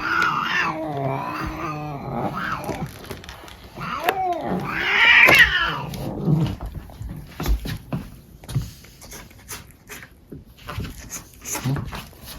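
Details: Male pet cat being groomed indoors makes strained, warbling cries at the start and a louder high wail midway, followed by scattered rustles and handling noises.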